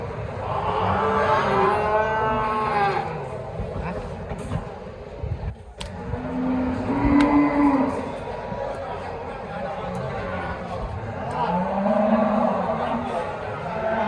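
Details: Simmental and Limousin cattle at an animal market lowing repeatedly, with long harmonic moos that rise and fall and come every few seconds, against a busy backdrop of crowd noise, clatter and a passing vehicle.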